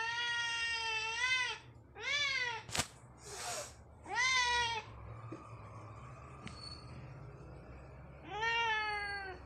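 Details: A talkative Siamese cat in the morning meows repeatedly, each call long, loud and nasal, swelling upward in pitch and then sliding down, with brief pauses and a short rustle between the vocal bursts.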